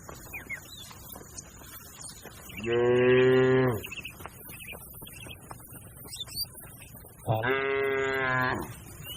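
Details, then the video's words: A grazing cattle herd gives two separate moos about four seconds apart, each a steady harmonic bellow of roughly a second, against a low background murmur and scattered faint bird calls. "Funny Sounds of the Herding Cattle"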